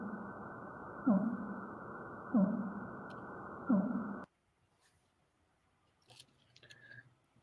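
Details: A fin whale (Balaenoptera physalus) gives three short, sweeping downward calls at steady intervals over a low background rumble.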